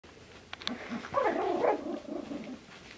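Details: Two male Finnish Spitz puppies, 28 days old, playing indoors; after a few soft clicks comes a brief wavering growl-whine rising and falling for about half a second, then low murmuring scuffles.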